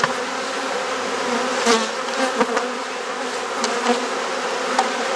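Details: Honey bees humming steadily at an open hive during an inspection in a garden in Perth, Australia. A dense, even drone with low bands throughout, broken by sharp clicks and knocks as frames are handled.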